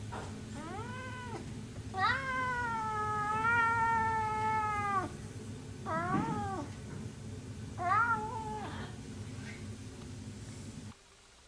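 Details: Orange cat Vlaminck, infatuated with the rescue dog Cocolo, meows repeatedly indoors: a long, sustained wavering cry of about three seconds, then several shorter rising-falling meows with faint breathy sounds between.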